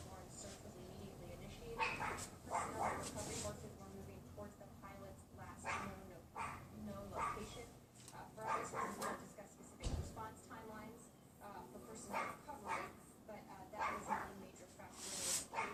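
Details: Pomeranian next door yapping out of sight behind a wooden fence, windy February afternoon in 2015: quick harsh yaps in clusters, some close together, with gusty wind noise underneath throughout.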